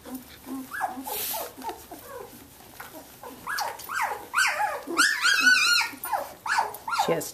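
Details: Seventeen-day-old Samoyed puppies from Athena's ten-pup litter at play indoors; low grumbles give way to a busy chorus of overlapping high whimpers and squeals, loudest in the second half.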